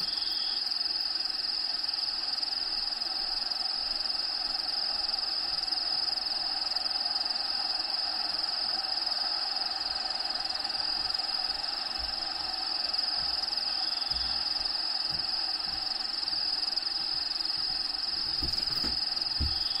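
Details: Steady high-pitched cricket trilling fills a bearded dragon vivarium where Diego lives. Natural habitat sounds play in the background. The insect buzz holds unbroken for the whole stretch, with faint low knocks near the end.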